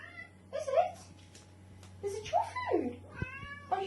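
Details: Indoor pet female cat begging for her dinner, answering a woman's talk with a series of short bending meows, one falling sharply in pitch, mixed with overlapping speech.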